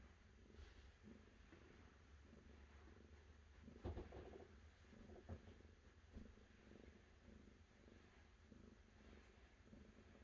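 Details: Continuous low, throbbing cat purr rising and falling with the breath, with a couple of brief louder thumps near the middle and a quiet steady hum beneath.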